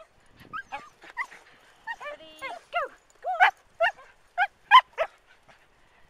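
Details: Manchester Terriers tearing about in the dunes at Waxham in 2012; a run of excited high yips and whining yelps, bending up and down, coming about every half second and growing louder toward the middle, with a person's voice briefly.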